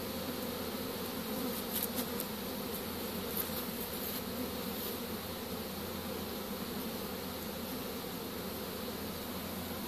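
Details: Swarming honey bees caught in a pole bucket, 25 March 2015, as the bees move into the bucket; continuous layered buzzing drone holding steady throughout, with light rustling knocks early on.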